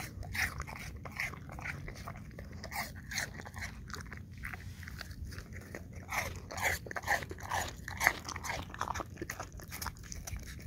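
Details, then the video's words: English Cream Golden Retriever eating apple chunks, close and intimate: sharp crunching bites, about two per second, irregular, each a broadband crackle, with wet chewing between bites and a low steady background hum. "Dog ASMR 1 Hour Long Looped - Eating Apple Chunks - English Cream Golden Retriever"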